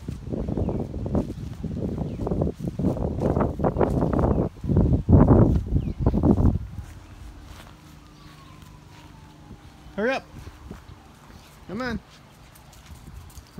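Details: Bullseye, a cat from the Hawaiian Humane Society, follows along on an outdoor walk like a dog; after footsteps and rustling, two short arched meows ring out about two seconds apart near the end.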